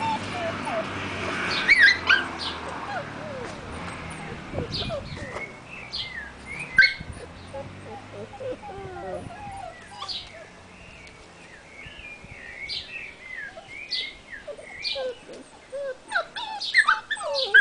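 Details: A female black-and-silver Miniature Schnauzer puppy gives high, thin whimpers and squeaky whines, with a person talking early on.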